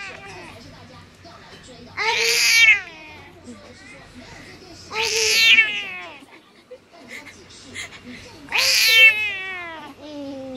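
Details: A bad-tempered 14-year-old cat in Taoyuan, Taiwan, meows loudly each time she is kissed, as though refusing; three strong, drawn-out falling meows about three seconds apart, with faint human voice between.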